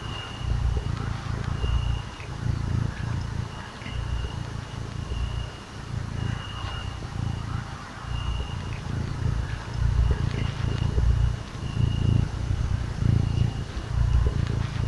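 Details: Cuddled little cat purring steadily for fifteen seconds: a low, throaty rumble that swells on each breath about once a second, with a faint thin whine behind it.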